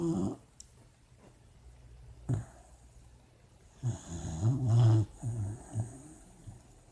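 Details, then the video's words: A puppy dreams while asleep, giving low, rumbling snores that cluster in a rough run of snorts midway after a quiet start, in a small quiet room. "Puppy dreams and snoring"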